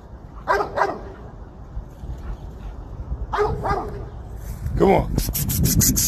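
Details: Dog named Legend barking while chasing squirrels: paired barks near the start and middle, then a person calling, with rustling and clicking noises building toward the end.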